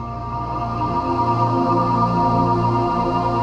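Sustained ambient music with steady tones and no animal sounds.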